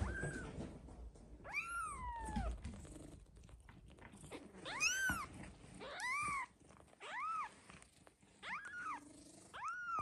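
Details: Male British Shorthair kitten, colour point, two weeks old, calling repeatedly with high, arched, slightly rising-then-falling mews, six or seven in ten seconds, some clear and strong, with light handling noise underneath.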